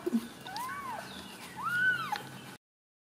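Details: Ragdoll kittens in a central Kansas home cattery give two arched mews, the second louder and longer, before the sound cuts off abruptly.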